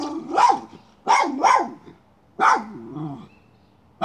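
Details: Miniature schnauzer hunting a chipmunk, giving loud yappy barks, a pair close together then a single bark trailing into a lower whine-like tail, over a faint background hum.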